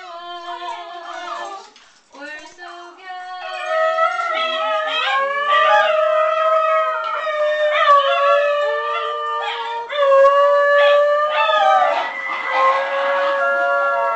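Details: A Basenji howls in long, sliding, yodel-like tones that rise and fall like a tune, in a duet with a person singing the Star Spangled Banner.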